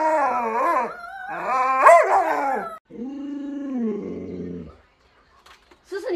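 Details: Alaskan Malamute named Lolo, a pet dog at home, gives long wavering, yowling howls. Two drawn-out phrases with strong bending harmonics are followed by a lower, steadier moaning note that fades out. A person talks briefly.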